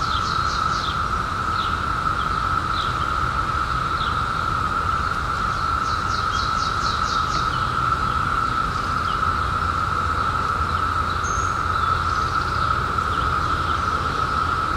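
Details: Periodical cicadas in 2021, newly emerged after 17 years hidden, form a steady, unbroken droning chorus that holds one even pitch, while birds add quick high chirps and trills over it.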